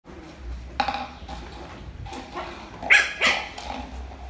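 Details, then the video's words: Lhasa Apso puppy barking for the first time while playing with a rolling box; a few short, sharp, high yaps come in scattered bursts over a faint background hum. "Lhasa apso puppy playing with rolling box and barking for the first time"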